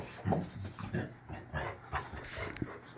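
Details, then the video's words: Boxer dog in a tantrum indoors, behaving childishly when it cannot get what it wants; short grumbling whines and panting-like huffs repeated several times over a few seconds. "Boxer dog throws a huge Tantrum over nothing."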